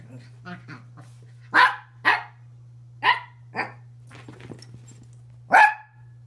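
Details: Dogs making funny, silly noises: five loud, sharp bark-like bursts at uneven intervals, with softer grunts and snuffles between them, over a steady low electrical hum.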